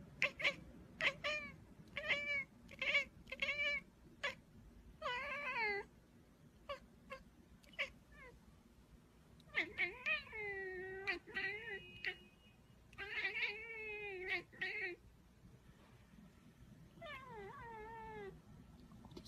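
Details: A cat gives a rapid series of short, high mews, then longer wavering meows that bend up and down in pitch, repeated with brief pauses throughout, against a soft steady background noise.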